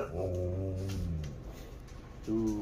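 A Siberian Husky gives a low, drawn-out howl that sags in pitch, then starts a second, brighter one.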